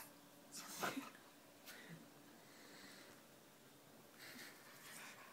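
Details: Poppy, a pet dog, makes funny noises while pulling faces indoors: a sharp breathy snort-like burst near the start, then a few softer wheezy, huffing breaths spread across the rest, with a quiet room hiss throughout.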